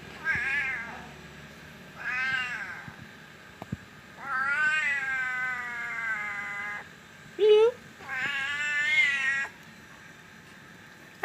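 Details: Pet cat in Berau, Indonesia, meowing as it is called by name: about five clear, tonal meows. One is long and drawn out for around two seconds and one is a short squeak, with quiet gaps between them.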